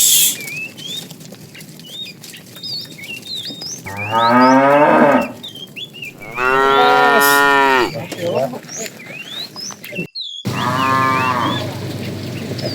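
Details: Fat tame cow calling the female while a herd is driven in the afternoon; three drawn-out, loud, harmonic moos, each one to one and a half seconds long, over steady chirping and whistling of small birds.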